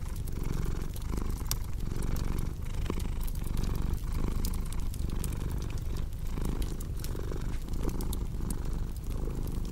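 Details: Cat purr, low and continuous, pulsing in breath cycles under frequent crisp crackles from a fireplace burning close by.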